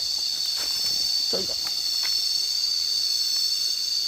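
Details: Continuous shrill whine of cicadas, several high tones sustained together, with a brief human voice near the middle and light tapping sounds.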